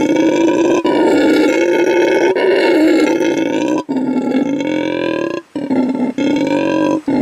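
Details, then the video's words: A howler monkey gives deep, guttural, rasping roars, sustained and loud with a few brief breath pauses; such calls communicate with troop members and establish territory. "here is a recording of the call of the howler monkey"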